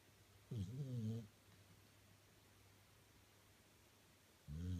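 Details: A 13-year-old male Staffordshire Bull Terrier snores in his bed in low, rattling bursts, each under a second, with long quiet gaps between.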